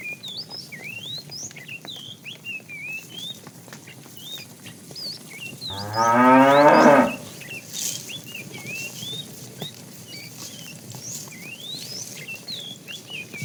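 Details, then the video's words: Calves in a herd of cows driven out in the morning to wander and look for food: one short, harmonic moo of about a second, rising then falling, over steady chirping and whistling of small birds. "Cute sounds of calves"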